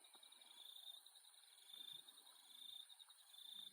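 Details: Insects at night in Australia give a continuous high, thin trilling chorus with a gentle pulsing rhythm. A few soft, low knocks sound in the background.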